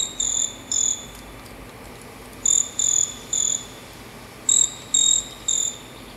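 Caçula song: high, shrill chirps in tight bursts of two or three, the bursts repeating about every two seconds over a steady faint hiss.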